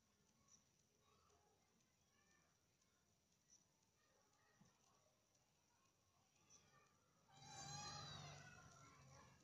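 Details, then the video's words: Cats in an alley as a snake wanders into their area; after several seconds of quiet background, one loud, harmonic-rich cry bursts out near the end and then fades. "Ular Salah Masuk Kawasan Gang Meong"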